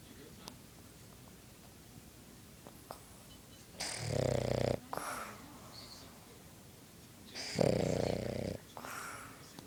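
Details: A sleeping, contented Boston Terrier snores in loud, rasping bursts, each breath rattling for about a second.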